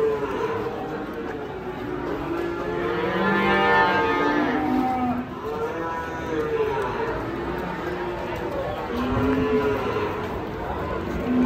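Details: Huge Pegon bull from a pair of nearly one-ton cattle, weighed and sold in Indonesia: a long, rich, harmonic moo swelling and fading around mid-clip, followed by shorter lower lowing calls, with people talking nearby.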